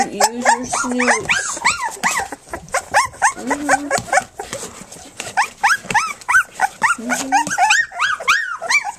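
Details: A litter of three-week-old puppies from Flute, nursing and playing, produces a dense stream of short squeaky yelps and arched whines, many per second, broken by a few held, level whimpers.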